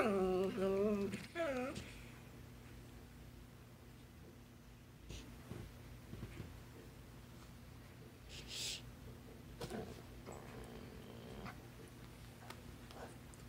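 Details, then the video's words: Basset hound vocalizing as if trying to tell its owner something: a wavering, harmonic, moan-like utterance lasting about two seconds with rising and falling pitch, followed by a long quiet stretch with low steady room hum. "A very vocal basset hound"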